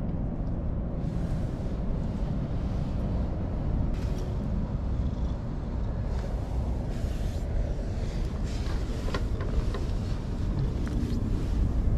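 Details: Steady low rumble of passing traffic with no animal calls. Only a few faint clicks and knocks break the constant engine noise.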